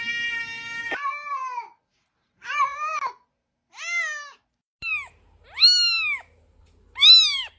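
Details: Cat meowing indoors: six plaintive meows. The first is long and level, then five shorter arched calls rise and fall, coming roughly every second with quiet gaps between.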